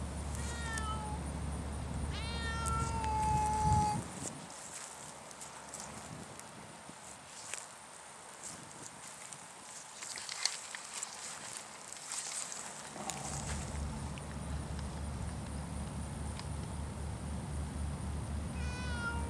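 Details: Savannah cat fixated on a stork, with birds and ducks nearby. A quick run of repeated chirping meows opens, ending in a longer cry. A quieter rustling stretch follows, and one more brief meow comes at the close. A steady low hum runs throughout.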